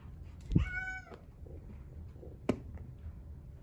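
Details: A single short, high kitten mew from a brown tabby-white Exotic Shorthair male born 4/6/2021, bracketed by a soft thump and a later click in a quiet room.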